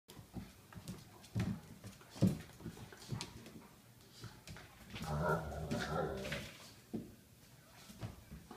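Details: A 12-week-old, 15 lb Golden Retriever puppy and a 2-year-old, 80 lb DDR Shepherd/Tamaskan mix play indoors. Short low grumbles and whiny yelps come in bursts, with a longer tangle of vocal noise midway, among scuffling and bumping.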